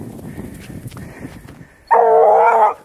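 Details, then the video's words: Vallezano hound trailing wild boar. After scuffling and rustling outdoors, it gives a single long, level bay of almost a second, full and harmonic, then stops abruptly. "GRAPA DE VALLEZANO EN RASTRO DE JABALI"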